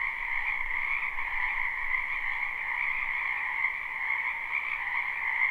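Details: Frogs croaking in a spring wetland behind a house, recorded live without looping: a dense, steady chorus of many callers forming continuous trilling bands, one middle-pitched and one higher, with no other clear sounds.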